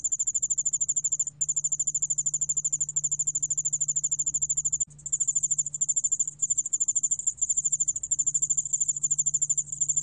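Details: High-pitched ringing trill of the 여울알락방울벌레 ground cricket, a 2020 National Institute of Biological Resources recording from Korea. Quick pulses run in steady trains with a clear break near five seconds, and a soft steady hum lies underneath.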